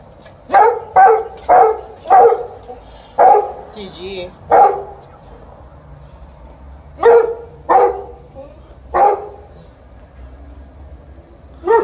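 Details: Alaskan Malamute, with a Golden Retriever in the household, barking to be petted when mum came back: a run of sharp, loud barks in quick succession, a pause of about two seconds, then three more barks and one at the end.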